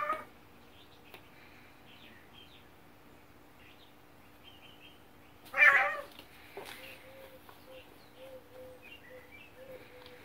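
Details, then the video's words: Two male domestic cats battling during quarantine, day four of their kitty battles: mostly quiet, then a sudden loud harsh squall bursts out midway, followed by soft, low, short mewing grumbles repeating toward the end. "Kitty Battles in Quarantine: DAY 4"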